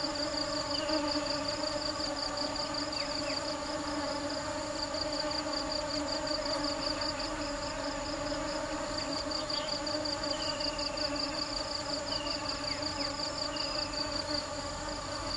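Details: Busy bees hunting for nectar produce a long, even droning buzz with layered overtones; above it a high pulsing trill beats steadily, while brief faint chirps and downward slides appear now and then.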